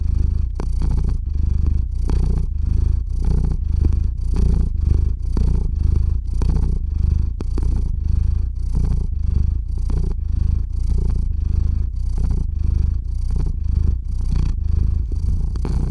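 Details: Domestic cat named Theo purring as he drifts off to sleep, captured with a RODE NTG-3 and Zoom H6; a continuous low vibrating rumble pulsing in quick, even breath cycles, with no other sounds.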